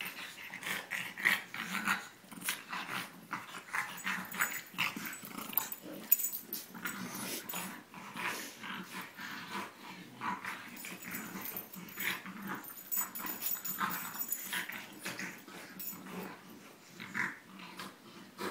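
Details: French Bulldog and English Bulldog play-wrestling in a second round, giving continuous low growls, snorts and wheezy breaths in rapid uneven bursts, with scuffling noise throughout.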